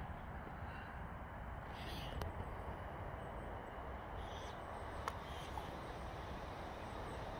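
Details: Steady broadband rumble with a few sharp clicks and faint distant hiss; no animal voice heard.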